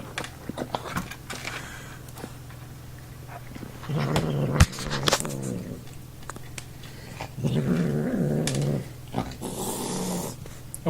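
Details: Male domestic cat, who dislikes being touched or picked up, growling while eating as he is poked; two low, droning growls with harmonic layers, the second longer, separated by quiet stretches with scattered clicks and scuffs.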